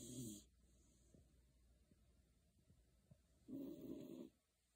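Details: Beagle named Shiloh sleeping soundly under a kotatsu, snoring: two breathy low snores, one at the start and one near the end, with quiet breathing between.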